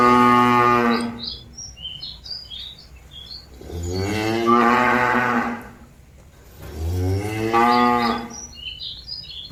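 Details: Cattle calling companions back to the pen, giving three drawn-out harmonic moos about three to four seconds apart, with chirping birds audible in the gaps.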